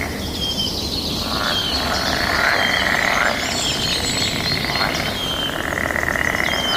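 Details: Mating-season chorus of many frogs answering one another, rapid buzzing pulses rising and fading in overlapping waves, with thin bird whistles and a constant natural background hiss.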